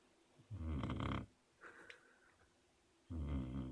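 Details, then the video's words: A sleeping puppy snores in deep, rough, low rumbling breaths, two long snores about two and a half seconds apart with a softer, higher snuffle between them; the room is otherwise quiet. "Snoring puppy"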